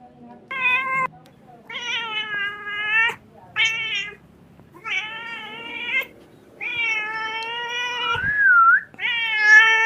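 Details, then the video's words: Kitten crying in a rapid run of about seven insistent meows, roughly one per second, mostly flat and harmonic, with one wavering squeal near the end. "Very beautiful crying sound of a kitten"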